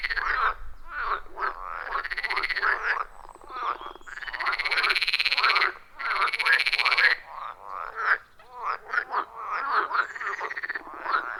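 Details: Wild frogs calling in a loud chorus around a forest pond, recorded on an iPhone 14 Pro with a Shure MV88+ microphone: dense overlapping croaks with rasping, pulsed notes and arching tones, bursts every half second to second, brief quieter gaps.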